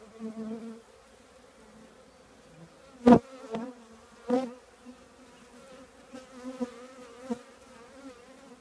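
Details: Close honey bee buzzing at a colony in an old trash can, a soft steady hum broken by loud sudden whooshes and thumps as bees dart right past around three and four seconds.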